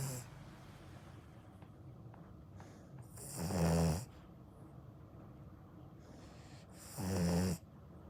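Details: Akita puppy asleep, snoring in two loud rasping bursts about three and a half seconds apart over a steady low hiss of background noise.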